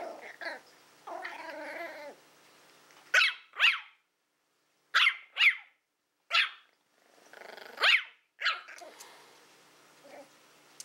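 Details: Willow, a female Toy Fox Terrier born April 2012, at play with a pig's ear: a short harmonic growl, then a string of sharp, high yips in quick pairs, separated by brief silences.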